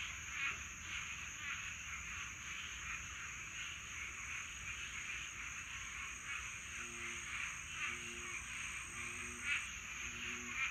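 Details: Swamp frogs in a mating chorus on a Florida summer night: dense, pulsing mid-pitched trills fill the background, while low doubled croaks repeat roughly every second in the latter half, over a steady high insect whine.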